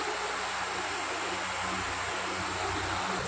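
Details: Constant broad rushing noise like running water or wind, with a low steady hum beneath, and no animal sound.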